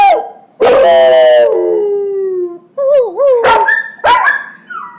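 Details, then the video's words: Young pet puppy Jagger practising his howl while teaching his younger brother Sasha: loud harmonic wails sliding downward, a long falling note, then shorter wavering yips and rising howls. "Howling Class - Beginners"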